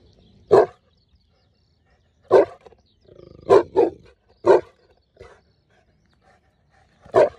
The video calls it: Saint Bernard dog guarding owner - Saint Bernard dog barking